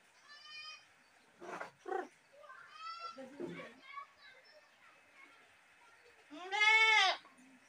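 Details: Goat voices: a few softer harmonic bleats early on, then one loud wavering scream near the end, with human speech-like sounds and knocks in between.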